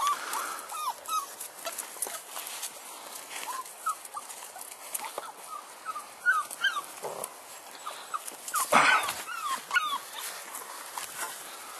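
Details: Litter of six-week-old bulldog pups (Felony X Noah) whines and yelps throughout: many short, high, upward-sliding squeaks, overlapping from several puppies, with rustling and one louder burst of noise midway.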